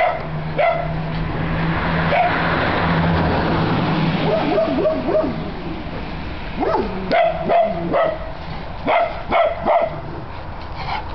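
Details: Great Pyrenees dog filmed in April 2006: after a stretch of background rumble and noise, a run of short, sharp barks comes in the second half, spaced roughly half a second to a second apart.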